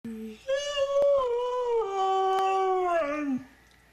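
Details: Pet dog prompted by its owner to say Merry Christmas answers with a long, smooth howl that starts high, wavers, then slides steadily downward over about three seconds, after a brief spoken prompt.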